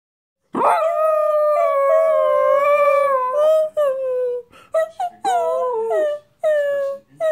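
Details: Pet dog howling: a long, steady, clear tonal howl held for several seconds, then broken into shorter rising and falling howls with brief catches between them.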